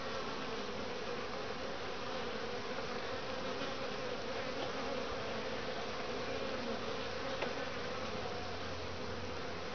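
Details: Midwinter foraging at a top-bar hive in Lynchburg, Virginia, on a 60°F February day: honey bees carrying in grey and orange pollen, their flight making a continuous even buzz, joined by a low steady hum toward the end.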